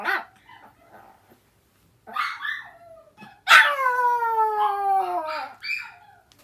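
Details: Indoor pet dog answering a younger sister dog's crying with a howl: scattered soft whines and yips first, then a loud, sustained, harmonic howl lasting about two seconds that slides steadily down in pitch, with brief yips near the end.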